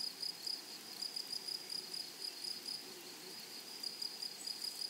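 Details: Grasshoppers in a flowery meadow, a high, thin pulsed buzz repeated in quick, steady bursts, about four per second, over soft rural background hiss.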